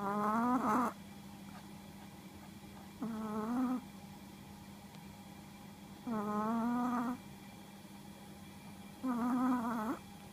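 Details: A Chihuahua asleep, giving four steady whistling snores about three seconds apart. Each is a buzzy, harmonic-rich tone lasting under a second and rising slightly at the end, separated by quiet breathing pauses.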